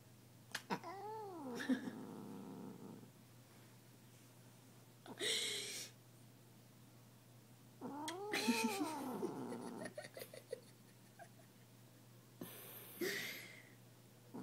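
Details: Domestic cat growling in displeasure at being kissed, drawn-out wavering moans rising and falling in pitch, three separate bouts with quiet gaps between them and faint rustling.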